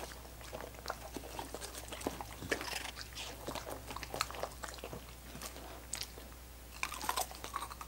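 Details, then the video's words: Dogs licking coconut water popsicles: quick, wet smacking and clicking licks in irregular bursts, a few louder crunchy smacks near the middle and end, over a steady low hum. "Dogs Licking Coconut Water Popsicles"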